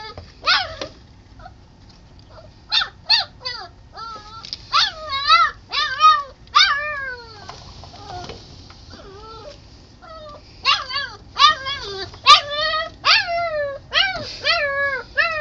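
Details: Young puppy whining and crying outside, wanting to come in through a sliding glass door that stands open; bursts of short, falling and rising yelps and whimpers, grouped irregularly with brief quiet gaps between them.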